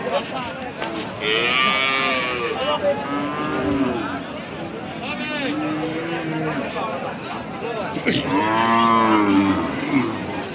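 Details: Holstein Friesian cattle, cows and calves at the Raniganj cattle market in Ghoraghat, Dinajpur, Bangladesh: several loud, harmonic-rich moos, some rising then falling, overlapping amid market chatter and a busy crowd.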